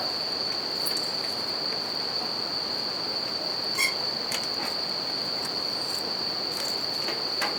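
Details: Bell crickets sing in nature next to a crackling campfire and a river: an even, piercing ringing tone runs throughout, while water rushes steadily and wood pops now and then.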